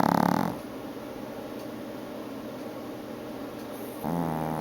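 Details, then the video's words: Female Chihuahua Gucci Envy snoring through an afternoon nap: a steady, rough, rumbling breath noise fills the clip, with brief louder, tonal snorts at the very start and end. "Snoring Chihuahua"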